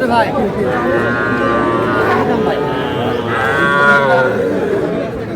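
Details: Cattle at a Dhaka market, Bangladesh, 4 February 2026, where small bull and heifer calves were being bought; two drawn-out harmonic moos rise and fall over steady crowd chatter and bargaining voices.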